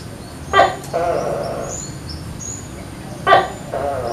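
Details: Morning call of a tokay gecko living in a coconut palm behind a house, in a yard full of tall trees. Two double-syllable calls, a short hard bark then a drawn-out throaty note, about three seconds apart. Soft high bird chirps behind.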